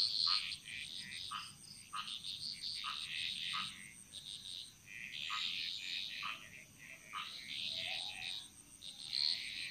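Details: Chorus of frogs in the Bali jungle: clusters of fast, knocking croaks and raspy trills come in waves a few seconds apart, with other callers overlapping. A faint high insect tone persists throughout.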